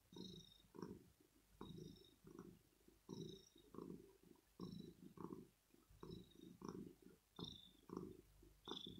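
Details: Early-morning purring from a male kitten who woke his owner because he wants to be cuddled, petted and maybe fed; steady low throbbing bursts repeating about once a second, faint rustling over it.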